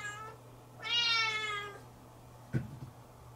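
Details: Siamese kitten indoors, left alone briefly and waiting at the room's doorway for its owner, filmed by a fixed camera; one faint short meow, then a longer, loud, drawn-out meow with a slight falling tail, followed by a soft thump.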